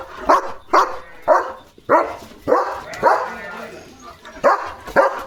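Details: Pet German Shepherd in a home yard barking loudly at a flock of sheep passing outside in the afternoon: rapid, harsh barks in an uneven series, about eight in five seconds, with a man talking faintly.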